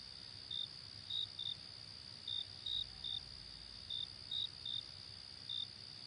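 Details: Crickets chirping by day: around ten brief, piercing chirps, unevenly spaced and sometimes in pairs, sit over an unbroken high buzzing chorus.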